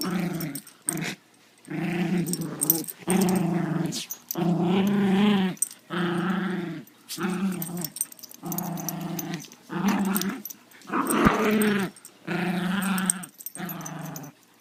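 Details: A domestic dog growls while playing tug-of-war. Low, rumbling, throaty growls come in bursts of about a second, separated by short silences, about a dozen bursts in all.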